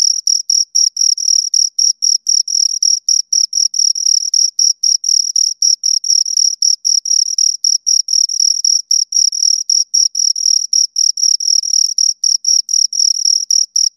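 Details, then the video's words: Continuous high, ringing chirps from two crickets heard up close, dense pulses packed several per second, overlapping into near-constant trilling over fourteen seconds of otherwise silent recording. "Two Crickets Chirp Sounds"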